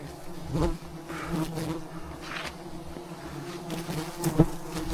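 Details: A giant wild beehive in the mountains, surrounded by thousands of bees while honey is collected. A quieter, even humming drone persists under a few soft knocks and brief rustling bursts.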